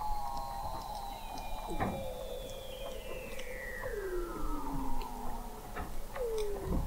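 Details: Weddell seal vocalizations beneath the sea ice of McMurdo Sound, Antarctica, captured November 2017 at the McMurdo Oceanographic Observatory: long slowly falling whistles layered together, with short downward swoops and faint clicks in the background.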